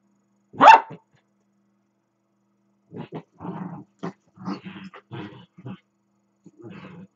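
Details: Two pet dachshunds playing indoors, one running around the other: a single sharp bark opens, then after a pause come short low grumbling growls in choppy bursts, rough and throaty.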